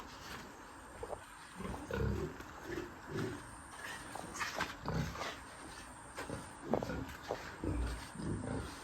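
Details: Pigs on a pig farm: short bursts of low, rough grunting and snorting about once a second, some stronger grunts near the end, over a steady background hum.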